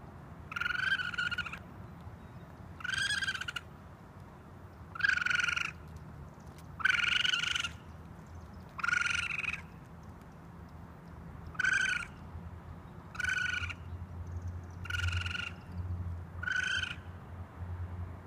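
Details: Baby raccoon on a roof screaming for its mother: about ten harsh, buzzy cries, each under a second long and rich in overtones, repeated every one and a half to two seconds over a steady low rumbling hum.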